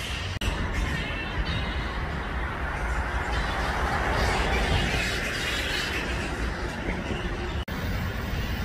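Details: Grey-headed flying foxes at a roost of over 5000 animals in Balgowlah, a Sydney suburb in Australia, around 1 PM; a dense, unbroken din of overlapping squabbling chatter from many bats, with a steady low rumble beneath.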